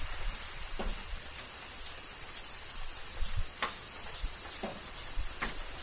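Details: In Kyoto, Japan, cicadas keep up an unbroken high buzzing hum through a summer shower; raindrops land as crisp clicks over a soft low rumble.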